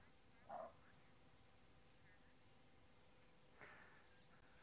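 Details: A greater kudu gives a short, gruff alarm bark, then a fainter second bark, at nearby lions during a sunset safari on 6 March 2024.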